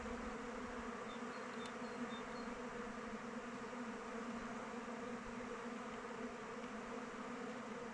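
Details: A constant low drone comes from honey bees circling their hive in open weather, with thin high chirps from a bird faintly audible in the first seconds.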